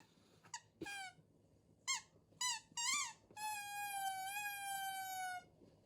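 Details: Female Shiba Inu Haru, at the family home in the countryside, uneasy after a sudden power outage and clinging to family: short sharp whimpers, then one long, drawn-out whine held steady for about two seconds before fading.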